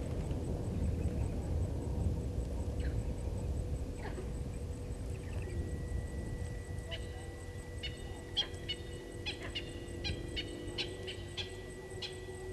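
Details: Vervet monkeys upset by Hosana, a male leopard on the move, at Gowrie dam waterhole, Djuma Game Reserve, Sabi Sand, South Africa, 16:52 on 08/04/19; rapid sharp chirps crowd the latter half over a steady low rumble and faint hum.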